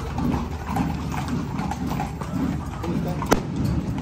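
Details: Parade horses in Zináparo clip-clopping: scattered hoof clicks at an irregular walking pace, with people talking nearby and one sharp loud knock toward the end.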